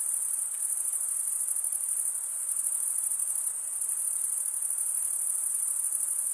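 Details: Crickets chirping in a dense, unbroken chorus: a bright, very high shimmering trill with fine rapid pulsing, holding steady throughout, over a soft faint hiss lower down.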